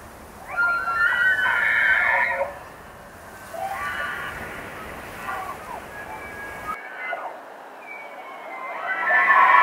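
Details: Rutting bull elk in Rocky Mountain National Park bugles, a high, strained whistle over harsher harmonic tones, repeated in several long calls.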